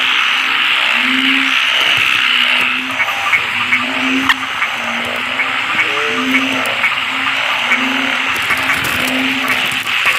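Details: Croaking of อึ่งเผ่า and อึ่งยาง, local narrow-mouthed frogs in Thailand, amid many people: a string of low, slightly rising hoots about a second apart under steady high buzzing, with scattered clicks and knocks.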